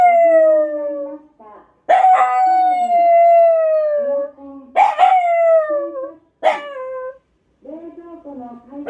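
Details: Young black Shiba Inu, a habitual daily howler, responding to a passing scrap-collection truck with sustained, gently falling howls and brief yelping breaks, accompanied by a lower howling voice.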